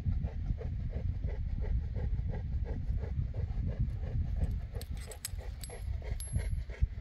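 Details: Panting Boerboel, also called African Mastiff, one of the couple Enzo and Diva in Egypt: fast regular breaths under a deep rumble, a few sharp clicks and a faint high tone near the end.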